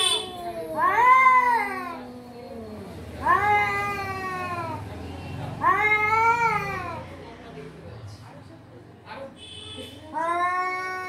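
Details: Four loud, stretched meows from a cat, each swelling and bending downward, spaced a few seconds apart, over a low background murmur with soft clicks between calls.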